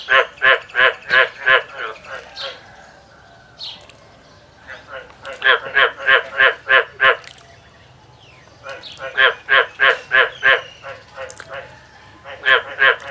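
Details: Farm-raised frogs answering a person's imitated calls with bursts of rapid, coarse, regular croaks, several each second, in three to four groups separated by quieter pauses, with some human voice between them.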